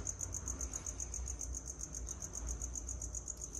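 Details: Feeder crickets living in a Madagascar hissing cockroach tub on a home farm, chirping continuously with rapid, evenly pulsed high-pitched trills throughout, over a low steady hum.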